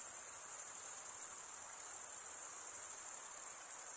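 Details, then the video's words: Male crickets stridulate, rubbing wing against toothed wing, in a steady high, thin pulsing buzz of many overlapping chirps. The sound never pauses and nothing else is heard. "cricket sound"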